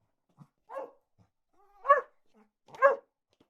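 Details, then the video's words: Barking dogs: three sharp, harsh barks spaced about a second apart, each a short burst. Faint small yelps and grunts fall between them against a quiet background. "Sound Effect of Barking Dogs"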